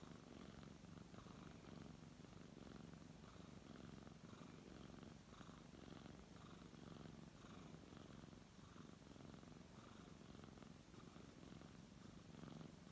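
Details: Steady low purring from a brown tabby cat being petted, a continuous buzzing rumble with breath-paced swells, unbroken across the clip, quiet room background.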